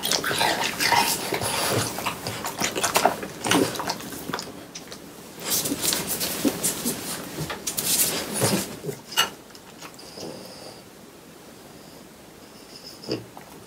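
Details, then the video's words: Three French Bulldogs eating watermelon indoors in summer: wet, crunchy chewing and slurping in quick bursts, roughly two per second, with brief pauses and a faint tone near the end. "강아지 먹방 ASMR 여름이 가기 전에 수박을 먹어보았어요 ~ 프렌치불독 팡 쿤 뽀 수박 먹방"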